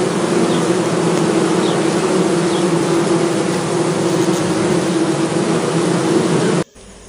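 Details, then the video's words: Bees buzzing in a dense, steady drone with a low hum and bright overtones, holding almost unbroken for about six and a half seconds before cutting off abruptly. "sound effects of Bee noise and its Various Types of Species - noise bees sounds"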